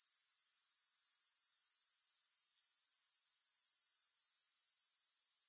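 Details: Grasshoppers heard with no music: a high, shrill, steady trill of rapid pulses, about four per second, swelling slightly in the first second and then holding even throughout.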